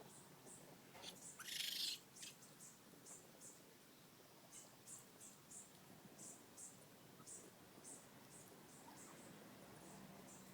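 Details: A family of new baby raccoons living under a house deck calls with faint, thin, high chirps repeated three to four times a second, plus one louder, brighter squealing burst early on, over a steady background hiss.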